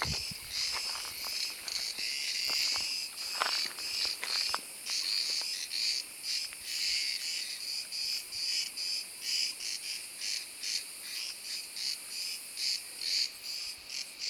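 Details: Cicada (Büyük Ağustos Böceği) singing in summer in wooded country as the day warms; a loud high buzzing drone pulsing in rapid repeated bursts, with faint ticking and rustling underneath.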